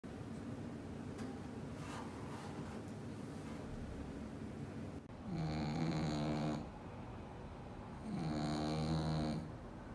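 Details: Pet bulldog asleep in its bed, snoring in long, low, rumbling breaths; the first half is a dense steady rasp, then two loud harmonic snores of about one and a half seconds each, some three seconds apart.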